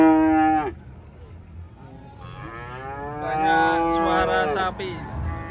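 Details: At an Indonesian traditional market, cattle unloaded from a truck give a short moo, then after a quiet gap several overlapping, wavering moos build up before one more brief call near the end.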